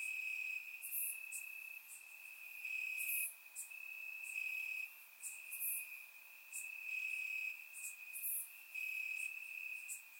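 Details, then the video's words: Crickets in the grass at night in Bulgaria, warm summer, recorded in surround sound: an unbroken high, thin trill with rhythmic brighter chirp bursts layered on top, rising and falling in loudness every second or two. "Cricket Sounds - Crickets Chirping at Night"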